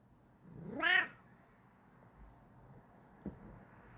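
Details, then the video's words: Female pet cat, content and happy, producing one short upward-sweeping mrrp chirp, followed by quiet room sounds and a faint tap. "Mrrps And Makes Cute Noises When She's Happy"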